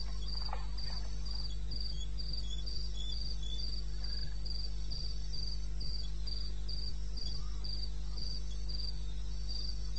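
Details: Cricket calling at 2:30 AM on 21 May 2016 in the wilderness of eastern Botswana: high, short chirps repeated at a steady rate of about three per second, over a constant low hum.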